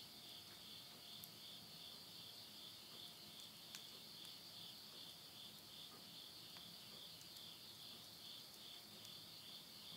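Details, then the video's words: Countryside insects at night in Tottori, Japan, late summer 2020, recorded at midnight beside a wood stove: an unbroken high-pitched pulsing trill, with scattered snaps of burning wood. "the voice of insects"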